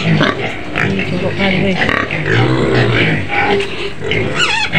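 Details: White pig in its pen on the outskirts of Medan, Indonesia, making low rumbling grunts, then a sharp rising squeal near the end, with people talking throughout.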